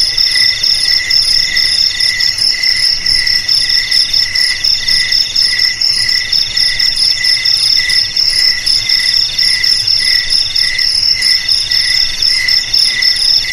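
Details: Constant cricket singing, presented as a traditional way to keep rats out of homes and fields. A thin high ringing tone runs unbroken while a deeper pulsed trill rises and falls in short repeated bursts.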